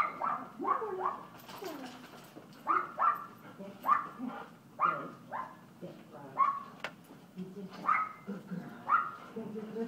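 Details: Kooper, an Alaskan Klee Kai puppy, playing at Paws Pet Resorts Lake Forest doggy day care; short high yapping barks come in quick pairs and clusters roughly every second, with faint voices and room noise underneath.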